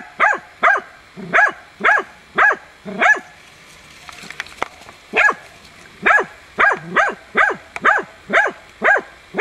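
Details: Hunting dog Tina, in training on young wild boar, 6 March 2013, barks steadily to hold the boar at bay. Loud, short, sharp barks come about twice per second, with a brief pause midway and faint rustling behind.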